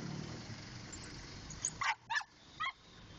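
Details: A pet dog barking in a funny way gives three short, sharp yipping barks in quick succession after a stretch of low background rumble.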